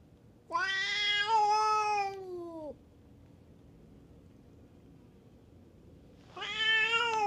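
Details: Fighting stray cats at a cat-island tavern in Japan: one loud, strained yowl of about two seconds sliding down at the end, a quiet pause, then a fresh harsh wail rising.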